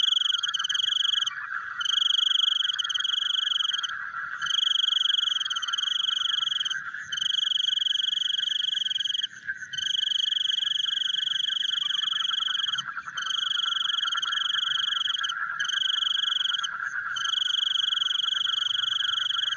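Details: Frogs calling in the night: repeated ringing trills, each one to two seconds long with short breaks, over a steady, throbbing chorus of other frogs.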